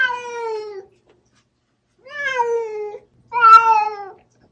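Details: Bongji the house cat, anxious after his owner left and staring at the door, calls three times in a row: long, clear meows that fall slightly in pitch, each about a second long with short pauses between.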